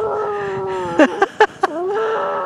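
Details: Seven-year-old male Chihuahua from a county animal shelter, howling outdoors at a park in Santa Cruz County: a steady, sustained tonal howl rich in overtones, broken midway by a few short sharp sounds, then held again.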